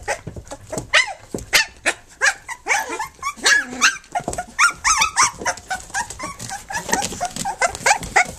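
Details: Flute's three-week-old puppies, nursing and playing together, keep up a steady stream of short yelping whines. Some calls warble upward in pitch, and the cries overlap unevenly against a soft background rustle.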